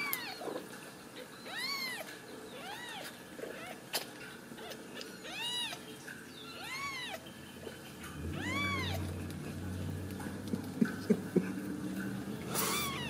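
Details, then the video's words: Ragdoll kittens, born and raised in a central Kansas home without cages, call in repeated bright arched mews about every second, with rustling and handling thumps toward the end. "Steward Ragdoll Kittens"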